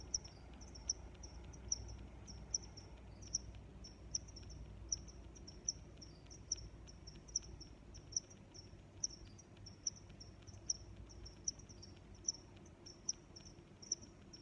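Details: Several crickets calling together in nature, a dense band of high chirps with one louder chirp returning about every 0.8 seconds and softer overlapping chirps between, over low background noise.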